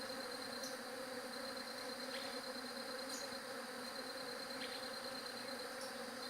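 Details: Continuous bee buzz forming an even, droning hum with stacked overtones. A few faint high chirps break in now and then.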